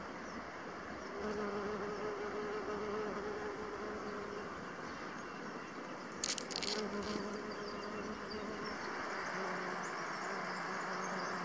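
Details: Buff-tailed bumblebee worker's low, droning wing buzz rises and fades as it moves close and away, foraging on Echium sabulicola flowers near the Assut de Sueca weir, Spain.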